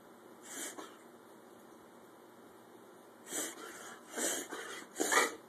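A pit bull gives short, breathy wheezing snorts, one early and then three more in quick succession.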